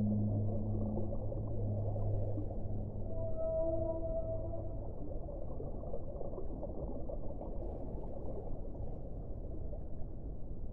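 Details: Whale song with faint tonal notes surfacing briefly around the middle, half-buried under a constant dense low rumble that fills the whole recording.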